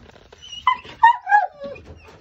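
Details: Cane Corso puppies in Delhi, India, let out a few short, high, whining whimpers that slide downward in pitch, spaced irregularly over two seconds in a quiet indoor setting.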